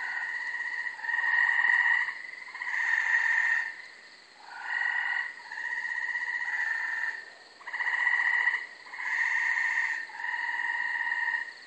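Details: Several Gray treefrogs (Hyla versicolor) give loud, musical trills about a second long, repeated with brief pauses, at night on 24 May 2012 from a small brushy, wooded lot in Carolina, Rhode Island.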